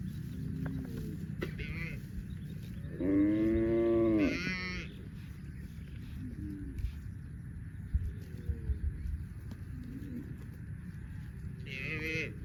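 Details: Tame cattle, dozens of cows running happily through green grass rice fields on a farm; a loud, drawn-out harmonic moo lasting about a second and a half, with fainter, shorter lowing before and after over steady low rumbling background noise.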